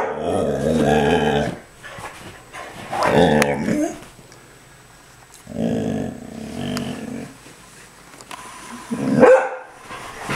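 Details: A dog that wants a squirrel in the front yard gives long, drawn-out, tonal howl-barks with growling edges. Three main outbursts are separated by quieter pauses, with a sharp squeak near the end.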